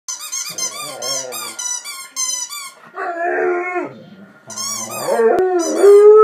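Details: Pet dog chewing on a dog toy: sharp, high squeaky-toy squeals with stacked overtones in bursts alternate with wavering, whining howls, the last one rising and sustained to the end.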